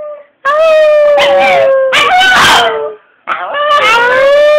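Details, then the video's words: Chihuahua 'singing' in long sustained howls, each steady for a second or more with bright overtones, then a brief break before another rising howl. Clapping noise overlaps the middle of the howling. "frankie sinatra the singing chihuahua"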